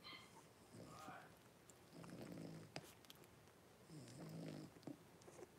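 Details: Blenheim Cavalier King Charles Spaniel puppies, five littermates born on New Year's, with their mother Paris in an indoor puppy pen. Brief high squeaky whimpers open, followed by soft low grunting and snuffling bursts amid quiet room noise.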